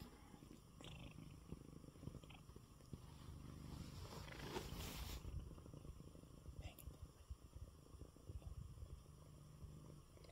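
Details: Coco, a sick male pet cat, purring in his bed after eating; low pulsing rumble broken midway by a short burst of rustling noise, then the purr continues.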